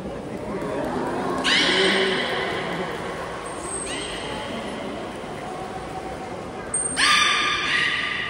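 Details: All belugas taking part in training at Port of Nagoya Public Aquarium, Japan, on 16 November 2024. Three bright, buzzy harmonic calls at roughly two to three second gaps, with a short thin high whistle between them.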